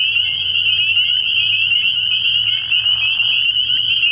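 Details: Spring peepers in full chorus at night at a pond early in the year, shrill overlapping peeps forming a continuous high whine, punctuated by brief upslurred calls, over a quiet low-pitched hum.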